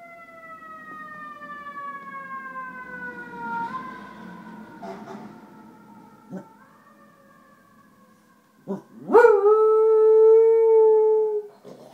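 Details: Three-year-old pet beagle singing along with a passing fire engine: long drawn-out howls with steady harmonic bands slowly falling, a short sharp yelp near nine seconds, then a loud sustained final howl; a low siren-like drone underneath.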